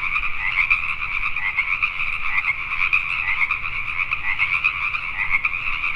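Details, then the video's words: Many Pacific tree frogs croaking after dark in Richmond, British Columbia, Canada, their rasping calls blending into an unbroken chorus that flickers with quick, uneven bursts. "Pacific Tree Frogs at Night"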